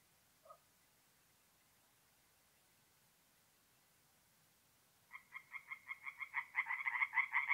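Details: Night-time forest pond in north-east Italy, mid-April. Long near-silence with one faint short note early, then tree frogs burst into rapid, rhythmic croaking that swells over the last two and a half seconds.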